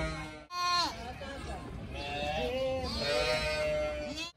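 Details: Playful baby pygmy goats romping outdoors give wavering, nasal bleats, with a voice possibly talking in the background.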